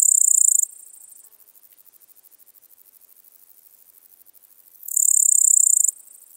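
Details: At Seewiesen, Germany, 11 July 2023, a Littoral Dark Bush-cricket gives a shrill, high-pitched rasping burst, then roughly four seconds of fast, quiet ticks before a second buzzy burst about a second long.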